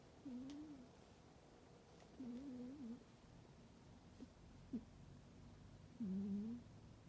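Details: Domestic cat sleeping deeply in a warm indoor spot in winter, snoring: low, humming, slightly wavering tones with a fainter overtone, three main breaths spaced unevenly over several seconds, with faint clicks in the quiet room.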